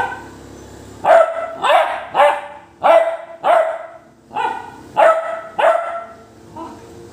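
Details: Basset hound barking steadily: a run of about nine loud, rich barks roughly every half second to second, in a slightly uneven rhythm, with quiet gaps of hiss.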